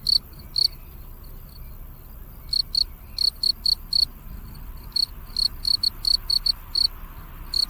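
A field cricket chirps in short, clear pulses, often paired, repeated several times a second.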